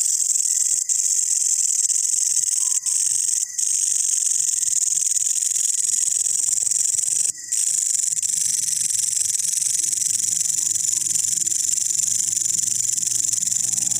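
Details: Incessant shrill buzzing from green and brown long-horned grasshoppers, a high rapid trill holding steady with a few short breaks and faint low hum in the background.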